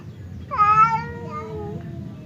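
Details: Domestic cat Temon or Lelo, two cats separated by a partition and seemingly about to fight; a single sudden harmonic yowl that starts loud and slowly sinks in pitch over about a second.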